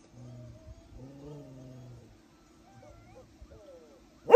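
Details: Beagles wanting to play while their owner tries to sleep; low drawn-out whining moans, two longer ones then shorter broken ones, ending in a sudden loud noise.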